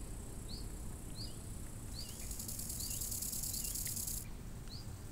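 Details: Crickets by a lake in summer: a bright, high, shimmering trill that starts at two seconds and stops near four. Short falling bird chirps repeat about every half second over a steady low wind rumble.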